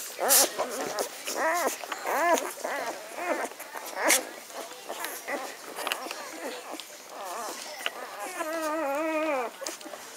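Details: Litter of Magyar Vizsla puppies, the B litter, recorded 17 May 2015: high, wavering whines and squeals in rising-falling arcs, several overlapping, ending in a long drawn-out whimper with rich harmonics; faint voices in the background.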